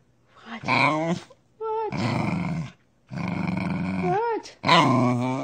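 A corgi makes a run of throaty, growly grumbles and whiny yodels, as if trying to talk.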